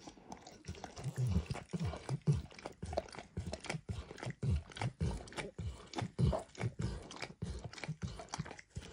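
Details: Max, a dog, licks a bumpy orange mat smeared with eggs and diluted peanut oil in a quiet indoor recording. Wet, smacking tongue strokes repeat quickly and steadily, with soft low thuds under each lap and no voices.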